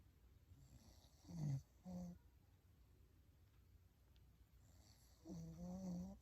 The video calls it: English Bulldog sleeping snoring